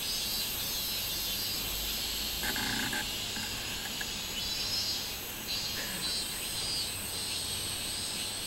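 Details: Singing minmin cicada recorded 24 July 2016: continuous shrill buzzing that swells and fades in loose pulses, with a short low clatter partway through.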